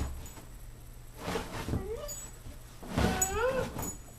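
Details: Playing with his scratched dog bed, 15-week-old Rhodesian Ridgeback puppy Roy gives two rising, whiny vocalizations about a second and a half apart, amid rustling and thumping from the play, filmed indoors with a Kodak Zi6.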